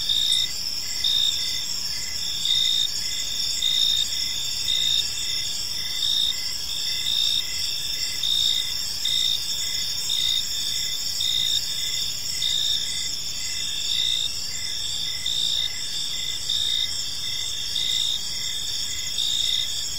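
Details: Crickets chirping on an evening in a peaceful park: a steady high-pitched trill with overlapping shrill bands, and a lower chirp pulsing roughly once a second throughout, forming a dense, unbroken insect chorus.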